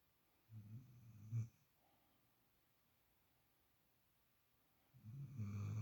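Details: Sleeping female puppy, spoiled and settled in another dog's usual spot for the first time, snoring: low rumbling breaths, one near the start with a short snort and another building at the end, separated by quiet.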